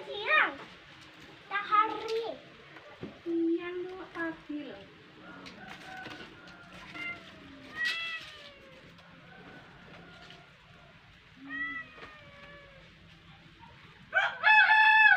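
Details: Domestic cat playing with a fish indoors, giving a series of short, arched, tonal meows spread across the recording, some rising then falling, ending with a louder, drawn-out meow, amid low room noise.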